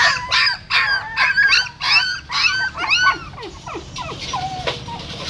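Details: Mother dog relocating her newborn litter by mouth from a stupa in a Siem Reap pagoda; quick, bright, arching yelps crowd together early, then thin into fainter, falling whimpers.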